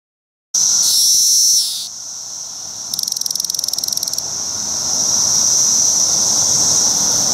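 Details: Male Magicicada cassini court song at a Route 199 rest stop in Rhinebeck, New York, crowded with cassini and decim cicadas on low trees. A sharp, high buzz, then a quick burst of rapid ticks, then a swelling, even drone over a dense cicada chorus.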